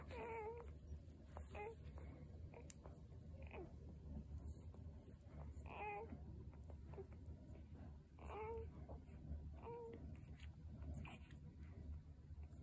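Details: Six of a litter of seven newborn Vizsla puppies give repeated thin, high whines and squeaks over a low background rumble.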